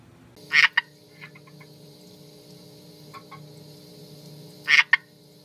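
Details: Captive red-eyed tree frogs calling: two loud, clicking croak bursts about four seconds apart, each a rapid rattle followed by a short click, with softer clicks between them over a steady low hum.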